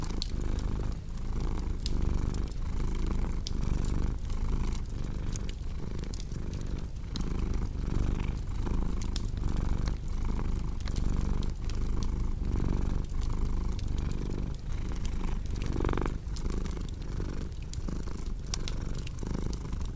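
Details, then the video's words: Long stretch of a house cat purring, the deep vibrating drone rising and falling in steady cycles, while a log fire crackles and pops densely alongside. "Purring Cat"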